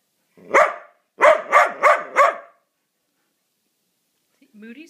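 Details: Mudi giving a single bark followed by a rapid run of four barks, then silence and a brief human voice at the end.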